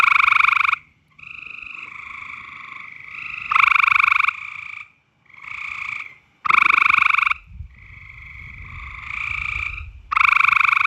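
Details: Frogs calling loudly in mating season, a dense chorus of bright, harsh croaks in bursts of about a second, several overlapping voices pulsing in and out with brief quiet gaps.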